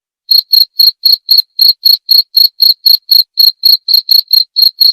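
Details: A cricket gives bright, shrill chirps in an even series, about four each second after a brief quiet start. The sound is presented as a rat repellent and a relaxing bedtime nature sound; nothing else is heard.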